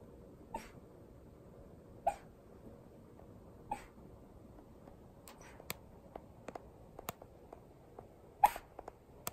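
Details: Shiba Inu named Hana disturbing her owner's sleep: short, abrupt huffing yelps with a brief tonal edge, the first three spaced about every one and a half seconds, then scattered sharp clicks and rustles and one louder yelp near the end.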